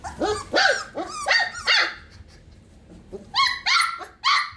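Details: Sheepadoodle puppies sharing a pen, Pepper's single puppy born 4/13/20 with two pups from Coco's litter, give a run of high, bright yaps in two bursts, each bark sliding down in pitch, with a short quiet gap between.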